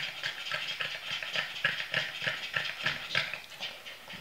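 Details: Boston Terriers exhausted after a short walk pant rapidly, with breathy, rasping puffs repeating about three times a second.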